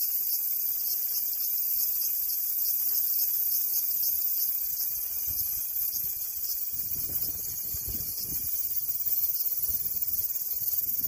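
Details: Continuous intense cicada buzzing, an even, shrill hiss held without break, with a brief low murmur of background noise near the middle.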